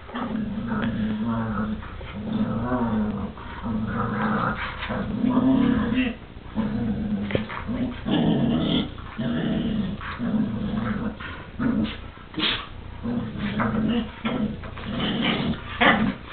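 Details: Pet dogs fighting over a chew toy, the little dog very aggressive; low rumbling growls come in pulses about every second, with snarling bursts and brief scuffling noises throughout.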